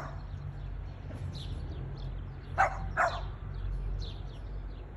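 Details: Luca, a Boston Terrier, barking at a plastic bag indoors: two short sharp barks about half a second apart midway through, with faint bird chirps and low background hum.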